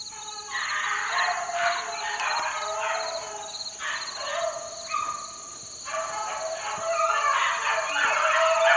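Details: Young Beagle pups, four months old, being worked in the wild on a dry morning; several overlapping voices give drawn-out, wavering howls and yelps in long bursts with brief pauses, plus a steady high electronic whine.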